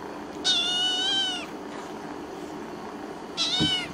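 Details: Tortoiseshell kitten meowing twice indoors: a loud, high, harmonic meow held about one second, then after a pause a shorter meow that falls slightly at the end, over a steady low background hum.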